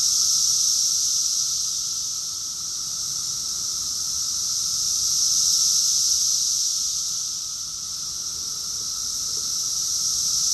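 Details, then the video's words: Cicada chorus recorded in Rockville, Maryland, USA, in June 2021: a dense, continuous high-pitched hiss from many insects, swelling and fading in slow waves about every five seconds, with a fainter steady tone beneath and no other sounds. "Cicadas song || Cicada's chorus song"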